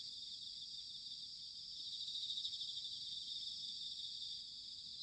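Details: Distant chorus of bell crickets in autumn at Sanuki, Chiba, Japan, recorded with ZOOM H6 and TASCAM DR-05X microphones: a soft, continuous high shimmer of overlapping trills over a faint low rumble of background noise.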